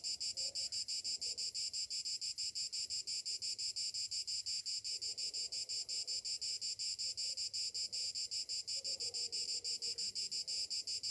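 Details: Cicadas in a summer morning chorus: a dense, hissing buzz high in pitch, throbbing steadily about three times per second without pause, with faint low murmurs beneath.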